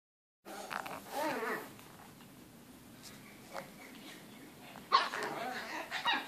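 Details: Chihuahua and Shih Tzu, two pet dogs, roughhousing together in an indoor crate on 8 June 2013: rumbling, harmonic growls build for about a second and fade, followed by quieter scuffling, then a sharper burst near the end.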